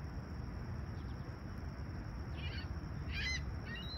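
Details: Chirping crickets greet a calm summer sunrise in Toronto's Humber Bay Shores, July 28, 2020, at 20ºC: a continuous shrill trill sits beneath a low rumble, with a short burst of bird notes near the end.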